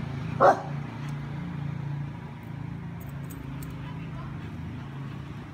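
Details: Dino, a pet dog taken outside to pee, gives a single sharp bark near the start, then falls quiet over a steady low engine hum and traffic rumble.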